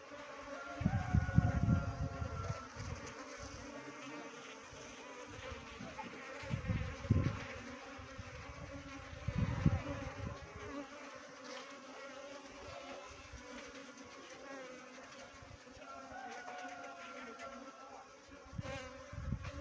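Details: A swarm of Western honey bees (Apis mellifera) fills the air with a steady, layered humming drone.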